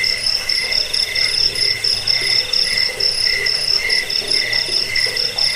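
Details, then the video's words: Cricket (jangkrik) chirping in a recording meant to repel rats, aid sleep and train songbirds: dense, continuous pulsed chirps in high bands, with several callers overlapping in a steady, unbroken chorus. "Suara jangkik pengusir tikus pengantar tidur"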